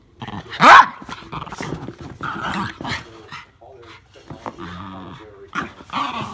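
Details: Two Norfolk Terriers, Ernie and Hank, wrestling in play indoors: a sharp high yelp near the start, then rough grumbling growls and snarls in short bursts, with scuffling between them.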